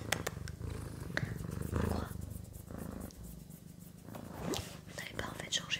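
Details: Pet cat Sakura purring close up in a small room, a continuous low buzzing rumble with a fast regular pulse, swelling slightly in places, accompanied by gentle French whispering.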